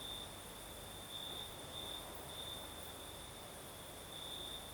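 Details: Crickets singing at night in the south of Crimea: a steady, high-pitched continuous trill holding one pitch, swelling brighter in short stretches, with a fainter even higher shimmer above and a soft broadband hiss of night breeze underneath.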